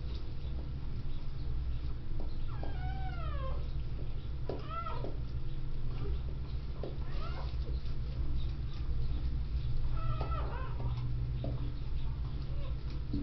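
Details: Newborn endangered red wolf pups, two just born to a mother still in labor at a zoo; thin, high squeaks and whines that slide up and down, scattered in short bursts over a steady low hum.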